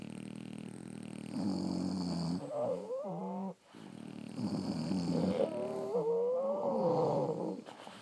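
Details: Sleeping French Bulldogs snoring: low rumbling breaths with wavering, whistle-like nasal tones that rise and fall through each long inhalation, broken by a brief quiet pause midway.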